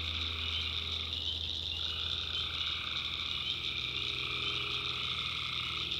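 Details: Massed tree frogs calling at night in a North Carolina swamp, steady high trilling with a mid-pitched voice dropping out and returning, and a low hum that stops partway through.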